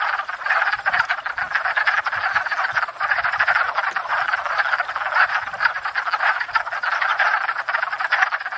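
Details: Spring breeding chorus of wood frogs at a pond, recorded from a stationary tripod: many males croaking together in a steady, rattling clatter of short clucks that never lets up, with occasional soft low thumps.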